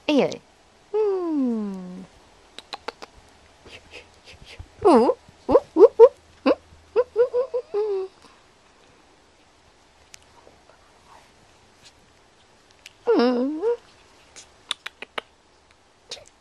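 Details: Playing indoors, the tiny teacup poodle puppy Mocubi, 10.5 oz at five weeks old, gives a long descending whine, then a burst of short squeaky yelps, and later another sliding, wavering whimper, with scattered light clicks.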